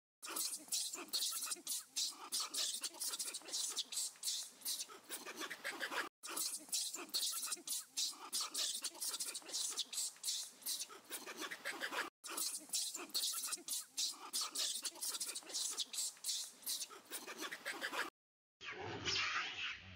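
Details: A Hanuman langur screams loudly in rapid, ragged bursts, crying for help as other monkeys gather and chase it.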